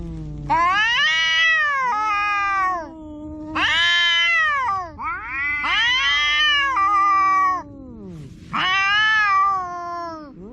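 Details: Household cats quarrelling in a face-off: four long, loud, harmonic yowls, each rising then sagging, about two seconds apiece, with a lower drawn-out moaning voice gliding underneath between them.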